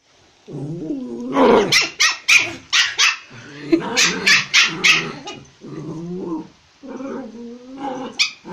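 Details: Toy Pomeranian attacking a Japanese Spitz at home in Kathmandu, Nepal: wavering, rising growls break into bursts of sharp, high, rapid barks, then sink back into long snarling growls, with a woman exclaiming near the end.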